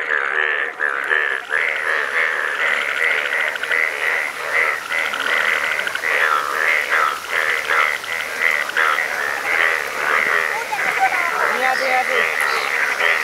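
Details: Many frogs calling together in Nepal, a yellow frog among them: unbroken layered croaking in rhythmic pulses, with a few brighter notes standing out now and then above the steady chorus.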